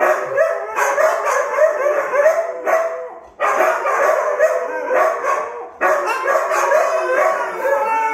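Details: Three Siberian Huskies howl together in overlapping, wavering tones, a loud chorus with brief pauses, "singing" for their owner.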